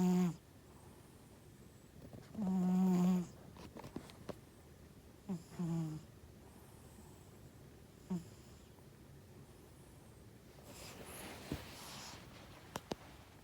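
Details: House cat sleeping indoors, healthy though its nostrils may be small, with one strong nasal, hum-like snore followed by a few fainter short ones, then soft rustling toward the end.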